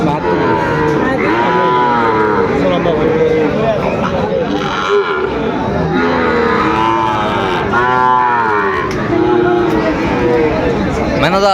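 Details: Sahiwal breed bull calves for sale at the opening of Aftabganj cattle market in Dinajpur, Bangladesh, on 2 September 2025; drawn-out harmonic moos recur through the clip over a dense background of bargaining voices and crowd chatter.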